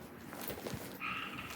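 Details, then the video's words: Tiny tree frogs, heard through open windows on a humid, warm day, give a brief, steady nasal note from outdoors with faint room noise; they are described as loud. "yep, there we go. You can hear a frog."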